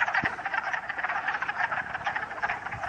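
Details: Wood frogs calling from across a pool in Uxbridge, Massachusetts, on a sunny early spring day in 2013: loud, thick overlapping clucking croaks from many frogs, with a few thumps nearby.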